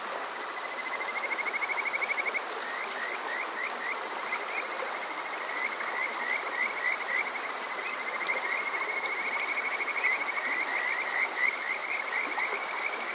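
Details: Kajika frogs on a summer night, Yokoze, Chichibu, Saitama, Japan, TASCAM DR-05X recording: long sequences of fast, chirping upward whistles, sometimes blurring into rapid trills, several overlapping, above a continuous stream roar.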